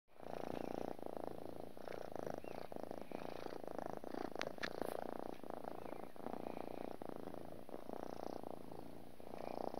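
A domestic cat purrs without pause, a deep, even rumble that throbs quickly and swells slightly with each inhale and exhale. Faint rustling and small clicks sound close by.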